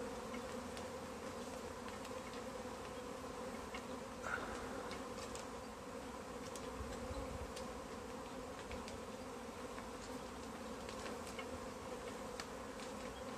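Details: Honey bees that swarmed onto a tree, being bagged for collection: a sustained mass drone, level and layered, with occasional soft taps and rustles over the hum.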